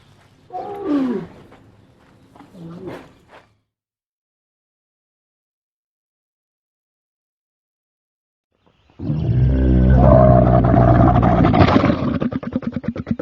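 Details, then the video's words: Camel calling: two brief, gurgling moans falling in pitch, then a long silence, followed by a loud, rough, rumbling roar with pulsing gurgles that lasts about four seconds. "Camel Sound Effect"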